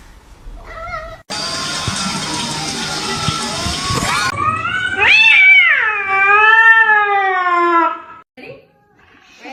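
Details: A screaming cat that jumps and misses: a burst of loud broadband noise, then a drawn-out loud cry that rises, falls and levels off over about four seconds, with faint sounds afterward.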